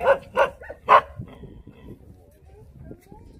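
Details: Korean Jindo dog encountered on Jindo island, giving three quick, forceful barks in the first second, then falling quiet with soft background noise.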